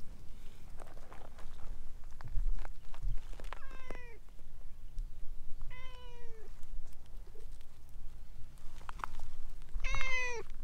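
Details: Vocal orange tabby stray cat winding around someone's legs, repeating brief meows roughly every two to three seconds, the last one loudest, amid light tapping and rustling.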